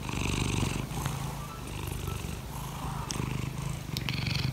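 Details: Morning purr from the cat Laimi, who wants to be petted: a continuous deep vibrating rumble that swells and eases with each breath, with soft brief ticks above.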